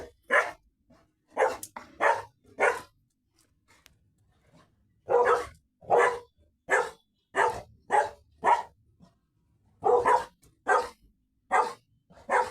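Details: Indoors, one of two retrievers, a Labrador and a Golden, barks in steady bursts. Three or four loud, rough barks, a quiet gap of about two seconds, then a long run of a dozen evenly spaced barks.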